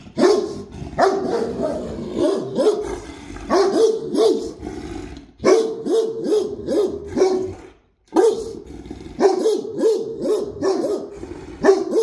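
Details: ['Deep-voiced Great Dane barks come in rapid clusters, with one clear silence near the middle before the barking resumes just as strongly.']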